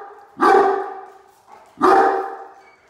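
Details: Great Dane named Mikey barking as a watch dog when a truck pulls into the driveway; two loud, deep, harmonic barks about 1.4 seconds apart, each with a sharp onset and trailing tail, in a quiet setting.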